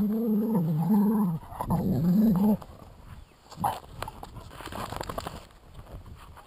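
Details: Golden Retriever playing in the snow gives two drawn-out, wavering, moaning whines, followed by quieter rustling and crunching.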